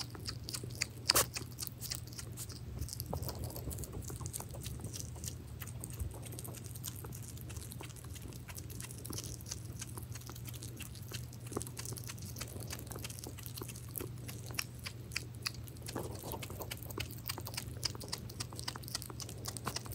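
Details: Hedgehog Pirozhok feeding on minced meat, its chewing a quick patter of soft sticky clicks and smacking bites, slightly quieter and more muffled, against a constant low droning hum.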